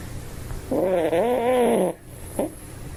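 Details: One drawn-out, whiny snore lasting just over a second, its pitch wobbling gently, from a sleeping Toy Poodle, followed by a short soft breath.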